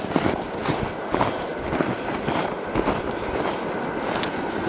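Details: Dense rumbling outdoor noise with scuffing footsteps and passing vehicle sounds.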